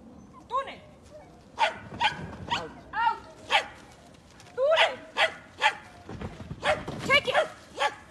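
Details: Nine-month-old Border Collie puppy beginning agility training in Mexico. Sharp, high barks repeated roughly every half second, some in quick pairs, over a faint outdoor background with a person speaking.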